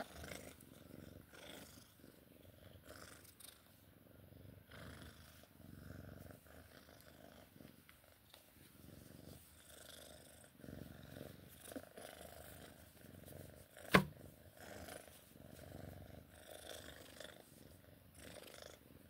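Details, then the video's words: Sphynx cat purring during play time, a soft, low, steady rumble under faint rustling, with one sharp click near the middle. "Sphynx cat play time purring"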